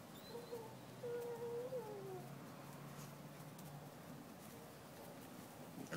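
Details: Puppies at play indoors; one gives a thin, steady whine lasting under a second that bends downward at the end, with a shorter whine just before it, over soft room noise and scuffling.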